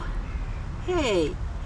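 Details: Calico cat, a stray, gives a short falling meow with clear harmonics while being greeted and asked to be petted; a person talks before and after, with traffic noise in the background.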